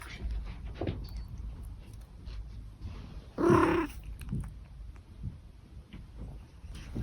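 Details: An old domestic cat gives a single brief, rolling trill over quiet indoor background noise.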